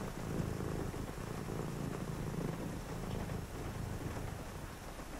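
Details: A house cat purrs on a rainy night during a calm reading session; the rumble is deep and evenly pulsed, briefly softening mid-way, beneath a steady wash of rainfall.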